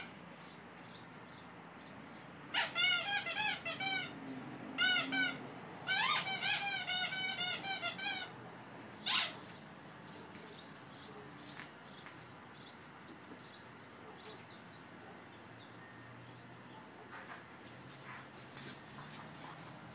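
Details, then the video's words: Playing Boxers, two dogs together, giving bursts of high, squeaky yelps and whining yips in quick clusters early on, then a quieter stretch of outdoor ambience with a few faint distant chirps. "2 Boxers at play"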